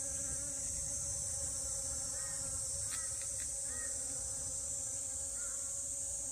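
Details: Western honey bees (Apis mellifera) at flowers in a garden hum with a steady, low wing-buzz drone under a bright, constant high-pitched hiss.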